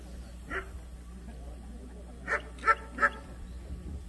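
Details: Jindo dog, a young female competing in the junior female class at the 66th Korean best Jindo show, Korea: one bark near the start, then after a pause three clear barks roughly a third of a second apart, over steady hall hum.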